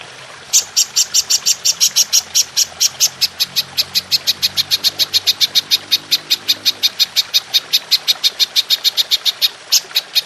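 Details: Golden grasshopper (belalang emas), recorded as a tutor sound for training songbirds: a steady run of sharp, high, clicky pulses, about five per second, sustained for ten seconds over a quiet background.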